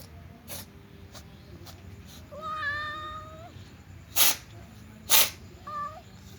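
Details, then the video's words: Sneezing from a tom cat sharing a meal with a Persian cat and other cats: one drawn-out harmonic meow, then two abrupt noisy bursts about a second apart, followed by a brief softer mew over low hum. "Tom Cat sneezed"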